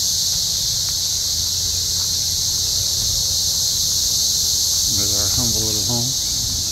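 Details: Cicadas calling in the trees of a forest near Columbia, Missouri, during an invasion, some flying around: a continuous high, even buzzing chorus fills the clip, with a short harmonic squeak or voice-like sound near the end and low background rumble.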